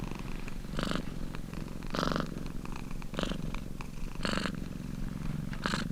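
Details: Relaxed domestic cat purring, a soft low vibration with regular airy peaks about once per second and a half, recorded close in a quiet indoor setting.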